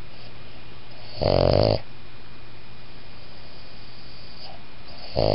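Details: Sleeping Boston Terrier-Pug mix gives a whisper snore: one coarse, buzzy half-second snore, then quiet breathing, and a second snore starting at the end.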